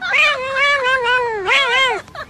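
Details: Domestic cat giving two long, loud, drawn-out meows, the first wavering and sliding slowly downward, the second rising then falling, with a brief soft sound at the end.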